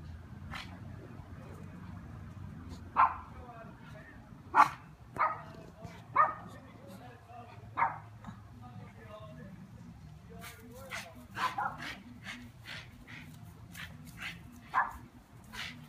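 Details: Dog chasing bees in a yard, barking in short sharp single barks spaced a second or more apart, a faster run of yaps near the end, over low outdoor background rumble.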